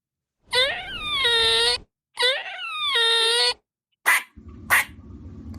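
A squirrel gives two drawn-out, nasal moaning wails, each over a second long, followed by two short sharp chips over faint room noise.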